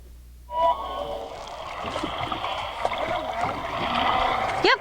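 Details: Off Maui, male humpback whales sing: long, bending, wavering moans with a sharp rising sweep near the end, phrases repeated over and over amid water sounds; such songs are loud, audible up to 20 miles away.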